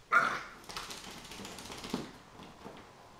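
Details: Mogge, a 15-week-old Chinese Crested dog puppy, in a post-bath frenzy; a single sharp bark opens, then softer scuffling and rustling as the puppy keeps playing.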